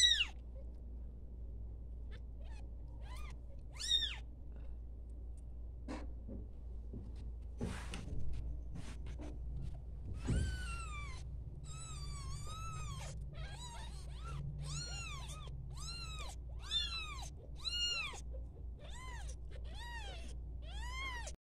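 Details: Newborn domestic kittens at playtime: soft knocks and shuffles at first, then a fast run of many short, high, arched meows over a constant low hum.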